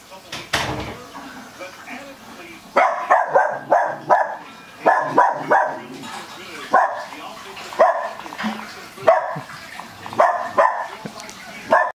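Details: Westie puppies playing with an American Cocker Spaniel named Joey; a series of sharp, high barks and yips in irregular bursts, some closely spaced, with human speech heard underneath.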